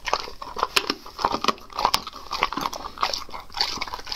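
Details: A dog eating raw food indoors, close-miked: sharp crunching bites and wet chewing clicks, with snaps coming roughly once a second over a quiet room background.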